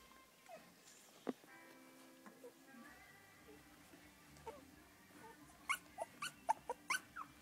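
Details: Three-week-old English Cocker Spaniel puppies from a litter, giving short high whimpers and squeaks, sparse at first then clustered in rapid rising-falling yelps toward the end, with a faint steady background tone.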